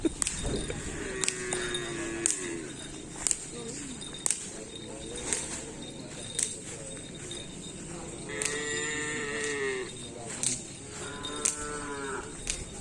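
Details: Racing cattle of the Paku Alam karapan sapi team, paired with other bulls: drawn-out, low, harmonic moos near the start and twice more after eight seconds, among sharp cracking clicks and faint background voices.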